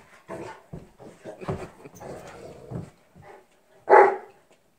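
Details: Two Newfoundland dogs play fighting, trading rough, throaty growls and grumbling snarls in uneven bursts, then one louder, harsher snarl near the end.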